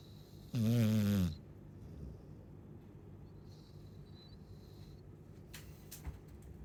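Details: Chow Chow snore: a single short, loud, buzzy nasal tone with clear wavering harmonics, followed by quiet breathing and a faint click.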